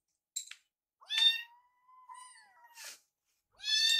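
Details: Foster kittens Yuki and Piyo, eager for warmed wet cat food, beg in a kitchen; a sharp chirp, then a long steady meow that holds its pitch nearly two seconds, a noisy scrape, and another loud meow.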